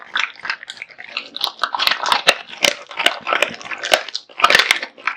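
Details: Kotetsu, a male American Bully, chomping through raw meat and bones; sharp crunches and smacking bites come in quick succession, several per second, in a small room.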